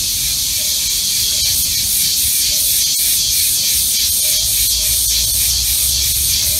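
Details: Cicadas recorded outdoors in summer give a loud, continuous high-pitched buzz with a steady, rapid pulsing throb.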